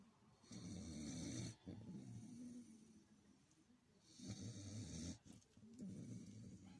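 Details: Domestic dog in deep sleep gives long, grumbling snores, each a low vibrating rattle with a breathy hiss, broken by short quiet pauses.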